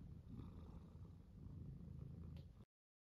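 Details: Pet tuxedo cat purring as its belly is rubbed; even low rumbling purr with rhythmic pulses, ending abruptly after under three seconds.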